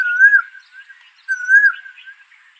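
A red deer gives two high, whistled calls, each briefly rising then falling, about a second apart.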